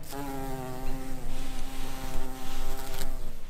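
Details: Buff-tailed bumblebee queens in spring, foraging for nectar and pollen: a steady, low droning buzz rich in overtones runs through the whole clip, wavering slightly in pitch and pulsing in loudness as the bee moves.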